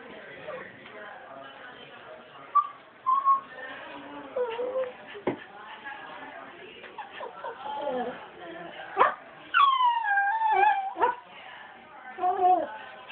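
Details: Whining puppies, recorded on a phone: thin, wavering whines that slide downward, the longest near the end with stacked overtones, mixed with soft background chatter and scattered clicks.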